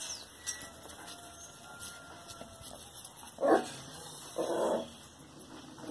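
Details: Kuvasz x Norfolk Terrier cross puppies give two short, strained yelping barks about a second apart near the middle, over a steady background hiss with faint clicks and thin whistling tones.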